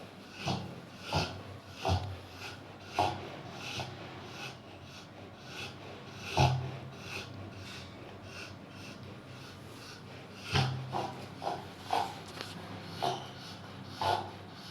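A sleeping Rottweiler snores in rough, rasping bursts, some close together and others spaced several seconds apart.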